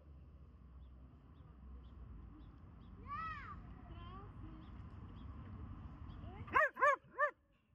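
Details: Lily, a Borzoi, barking in a 'symphony' during grass yoga: a soft whining rise near the start, then three loud, sharp, harmonically rich barks in quick succession at the end over a low background rumble.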